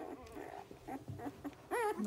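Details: An eight-day-old Dalmatian puppy, eyes not yet open, separated from the litter and its mother, gives a thin, wavering squeal before being returned to her.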